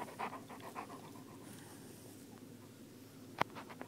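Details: Seven-month-old Newfoundland-Labrador mix brothers Maximus and Atticus romping outdoors, heard as quick rhythmic panting pulses, with a single sharp knock near the end.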